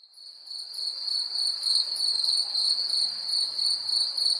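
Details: Cricket calling in a 3D nature recording: a steady high-pitched trill with faint pulsing, about 200 chirp pulses per minute, with a fainter overtone band above; no other sounds.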